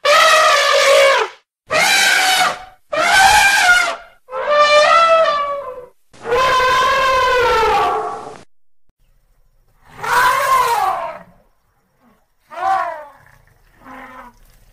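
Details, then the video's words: A run of elephant trumpets, five strident blares in quick succession and then softer, shorter calls spaced out after a pause, each harsh and harmonically rich. "TIẾNG VOI RỐNG ĐÁNG YÊU 2024"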